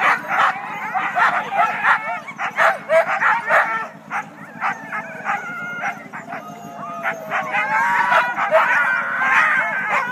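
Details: Siberian huskies of the first sled team at the February 9 races north of Weed, California, clamour before the start: sharp barks and yelps in quick bursts, then longer rising and falling whines and howls from several dogs.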